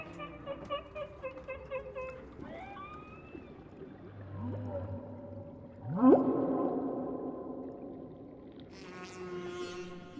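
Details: Humpback whale song phrase nicknamed Chuckles, distinctive and recorded two years earlier, now starting to disappear from the song: rapid pulsed chuckling units, then upswept whoops and a sharp rising sweep, ending in a buzzy high pulsed burst, with music.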